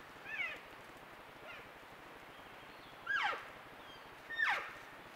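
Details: Trail-camera recording of elk cows with calves talking to their mothers: a faint chirp, then two louder high squeals that drop steeply in pitch, spaced over a few seconds.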